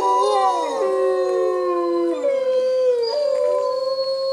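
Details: A captive gray wolf (Canis lupus) pack at Bays Mountain Park, undeterred by rain, answers a human howl in a chorus lasting over two minutes; female Aiyana answers first. Long sliding tones overlap at different pitches.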